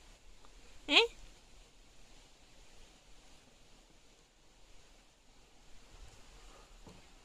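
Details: Pet ferret Balú indoors gives one sharp, explosive sneeze about a second in, a brief burst sweeping upward, followed by a quiet room with faint background hiss.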